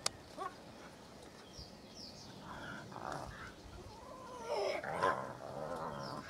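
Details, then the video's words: Hyena cubs at their den, recorded very close: soft, wavering, harmonic whines and squeals in the second half, overlapping one another, above a steady outdoor hiss. "Hyena Den with cubs"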